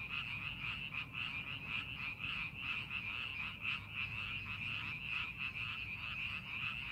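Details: Frogs in rice paddies during farming preparation give an unbroken, buzzy chorus. Countless rapid croaking pulses blend into one shimmering wall of sound, and a soft low background rumble runs beneath it.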